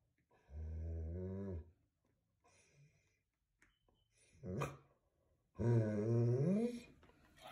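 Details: German Shepherd reacting to a passerby with deep, drawn-out growling grumbles indoors, three long rumbling bouts with quiet gaps between them, the last rising into a strained whine.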